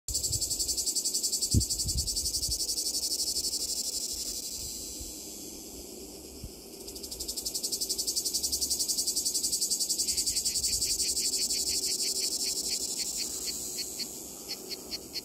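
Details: Two cicada species, Lyristes plebejus and Cicada orni, sing together on the same white poplar tree in Donzère, Drôme, France: a steady high hiss joined by a rapid, pulsed rasping rhythm.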